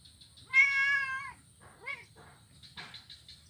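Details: Blind kitten playing on an ironwood bridge in Kuala Kapuas, Central Kalimantan, Indonesia, recorded Monday 25 November 2019; one loud, steady, drawn-out meow with rich harmonics, then two short softer mews, over faint insect-like hiss.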